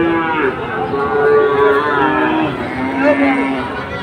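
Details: Overlapping moos from Sahiwal bulls at Ambari haat, a livestock market visited by Chattogram traders on Monday 24 July: several steady, tonal lows run one into another beneath a dense hum of market crowd noise.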